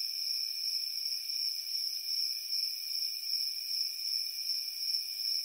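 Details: Crickets on a warm summer night sing a dense, shrill, continuous trill that pulses in quick, gentle waves, accompanied by a quieter lower trill.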